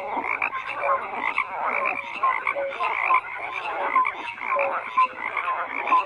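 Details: Frogs croaking in a thick chorus, rasping pulses overlapping with short piping notes that recur roughly every second.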